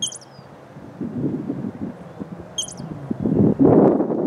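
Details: A squirrel in a park gives two sharp, high, bird-like chirps about two and a half seconds apart over steady wind and rustling.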